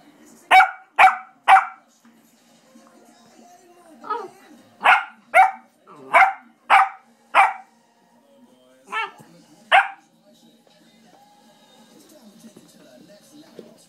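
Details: Playful 4-month-old English Springer Spaniel puppy giving about eleven sharp, bright barks in quick bursts: three at the start, a run of six in the middle, then two more, separated by near-silent pauses.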